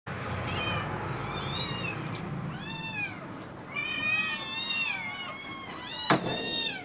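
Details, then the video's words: Hungry kittens calling at breakfast time, a run of overlapping high meows with stacked harmonics, several arching up and falling, voices layered over one another, steady low background rumble and a sharp knock near the end. "hungry kittens breakfast"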